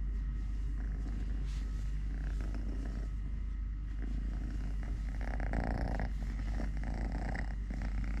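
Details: Purring from Totoshka, a male house cat living normally on three legs, during food, play and walks: a continuous deep, pulsing low rumble that holds steady throughout, with soft rustling and handling noises mid-way.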